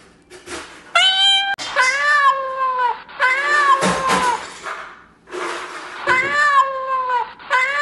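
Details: Real domestic cat meowing repeatedly: a run of long, drawn-out, wavering meows, some overlapping, about five calls in eight seconds with short gaps, loud and close, with a little background rustle.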